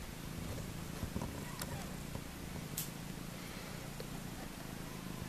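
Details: Maine Coon mix litter on its fourth day, with the struggle at the milk bar growing fiercer; continuous low purring with slight rhythmic pulsing, plus a few soft knocks and rustling.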